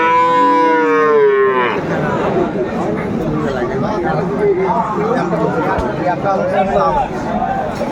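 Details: Cattle at Aftabganj cattle market in Dinajpur, Bangladesh, on 17 April 2024, where Friesian and crossbred bull calves are sold: one loud, harmonic moo lasting under two seconds, falling slightly in pitch, then steady crowd chatter and bargaining voices.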